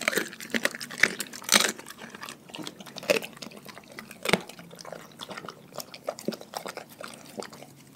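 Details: A dog from a household pack eats its raw food diet. Bright, crackling crunches and bursts of chewing mix with wet, sloppy licking and slurping sounds. Loud bites come early on, then softer steady chewing follows.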